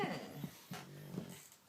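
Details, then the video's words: Pet Mastiff indoors making funny sounds, apparently angry: a low, harmonic groaning growl with a brief whine, in short bursts of under two seconds in a small room. "My Mastiff making funny sounds"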